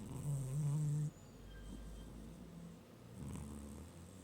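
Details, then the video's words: Pet cat named Gizmo asleep on a desk during a nap, giving one short low rumbling snore at the start, then quieter steady breathing in a small room. "Snoring Cat Called Gizmo"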